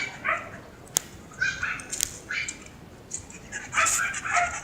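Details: On a walk beside its student owner, Mero the Siberian Husky lets out several brief tonal whimpers spaced about a second apart, with sharp taps, faint voices and a steady high hiss behind.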